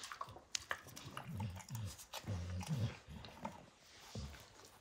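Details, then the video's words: Dog named Max mouthing and destroying a baseball's hide, with deep rumbling chomps and a faint throaty hum under the bites, broken by a few sharp cracks and pauses. "Max Destroys A Baseball Hide | NOT ASMR | DOG CHEWING"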